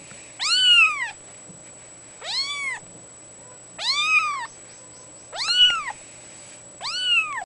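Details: Loud, insistent calling from a two-week-old female fawn Abyssinian kitten: five strong, bright arched meows about every one and a half seconds, with a faint constant high tone behind.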